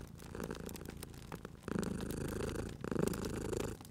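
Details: Sleeping cat purring beside a crackling fireplace in a cozy spring setting; low, rumbling purr swells in long breathing cycles in the second half, with sharp pops and snaps of burning wood throughout.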